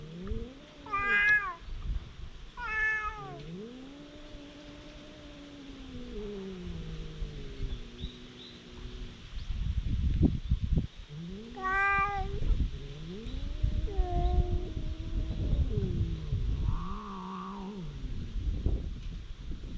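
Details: Quarrelling stray cats on a cat island, captured with a GoPro HERO8: low, moaning growl-yowls that swell and bend slowly, broken by sharper higher cries, with rustling and handling noise between.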